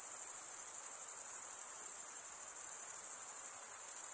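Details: Male crickets stridulating, rubbing one wing along the toothed vein of the other: a dense, unbroken high-pitched trill with a slight rapid pulsing, forming a steady chorus with no other sounds.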